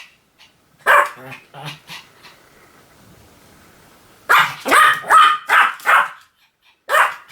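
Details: Repeated yappy barks from a Pomeranian, a few early then a rapid run of five loud barks near the end, separated by a quiet stretch with faint hum.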